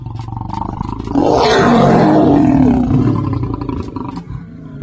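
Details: Wild male lion at Chobe warning his son with one long, powerful roar lasting about two seconds, harsh and low with a throaty rasp, rising sharply then trailing into softer grumbling.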